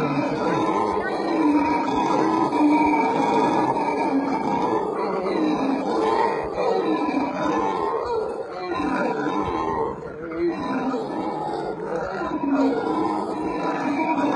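Howler monkeys give deep, rolling roars that rise and fall in long, overlapping waves.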